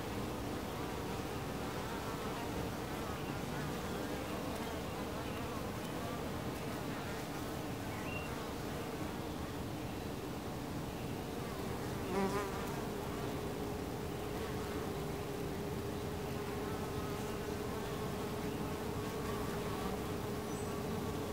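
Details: Western honey bees (Apis mellifera) at a hive entrance make a dense, steady buzzing hum, many wingbeats blending into one continuous drone.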